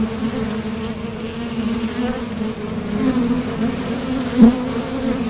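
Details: Constant humming of honeybees at a top bar hive entrance, workers departing and landing while collecting nectar; the steady low drone swells briefly as one bee passes near the recorder toward the end.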